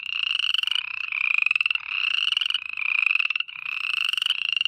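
Frogs calling at night with rapid, pulsed high trills that run in near-continuous bursts.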